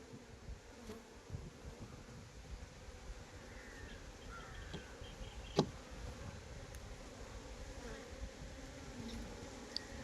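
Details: Swarming drone of honey bees around a managed hive at a Nellore honey farm, a continuous low buzzing with faint wavering tones, broken by one sharp knock midway and a few small clicks.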